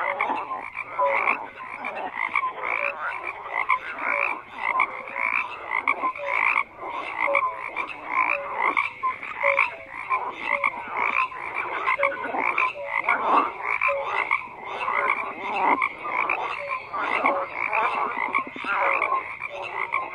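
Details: A long stretch of massed frog calls, buzzy croaks layered thickly and pulsing in waves, with recurring short clear notes repeated steadily through the chorus.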